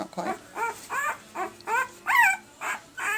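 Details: Pembroke Welsh Corgi puppies at one week old, from an April 2020 red/sable litter, let out a run of short arched whimpers and squeals, roughly two per second, one louder wavering cry midway; low hum beneath.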